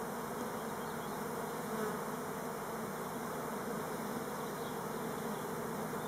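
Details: Honey bees of the Elgon Buckfast line on orientation flight, explicitly not swarming, on Timrarö near Stockholm; a steady, dense, low-pitched buzz from the many bees, swelling slightly at moments.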